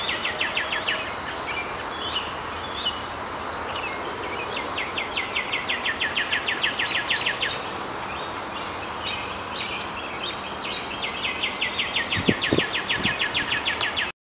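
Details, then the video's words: 13-year cicadas of Brood XIX, the Great Southern Brood, in a Nashville, Tennessee back yard on the morning of May 12, 2011, many freshly molted. A steady, dense hissing chorus runs throughout, overlaid by repeated rapid bird trills and a few low knocks. "13-Year Cicadas, Brood XIX"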